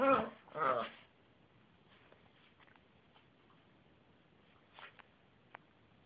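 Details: Yorkshire terrier giving two quick, loud, raspy barks back to back at the start, then near silence with a few faint clicks and a soft yip later.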